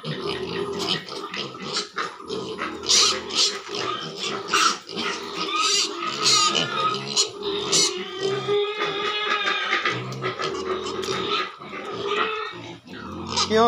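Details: Pigs kept at a piggery give a busy run of overlapping shrill squeals and rough grunts, the cries bunching into noisy bursts with hardly a pause between them.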